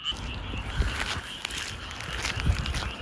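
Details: A dense chorus of many frogs in rice paddies beside a campsite at Goseong, Gangwon-do, South Korea, in June, croaking together so many voices merge into a steady, cicada-like drone.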